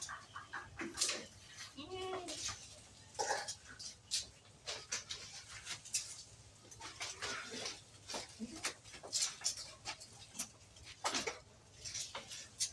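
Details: Goats on a farm of improved-breed goats kept at a home: one wavering, harmonic bleat near the two-second mark amid clicks, rustling and scattered farmyard noise.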